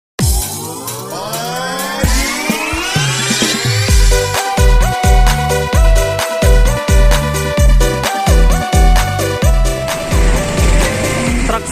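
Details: Electronic dance music with a long rising synth sweep over the first four seconds, then a steady pounding bass beat and repeated synth notes; no animal sounds.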